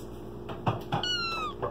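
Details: Talkative Bengal kitten Mangol in an apartment kitchen gives a drawn-out meow that slides gently downward, rich in bright harmonics, after a few soft knocks and thuds; steady low room hum underneath.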